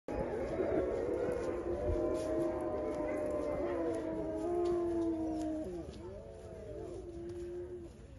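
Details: Wolves howling at the Medveotthon bear sanctuary in Veresegyház, Hungary: several long, sustained overlapping howls, smooth and level or gently sliding, layered in chorus for about eight seconds before fading.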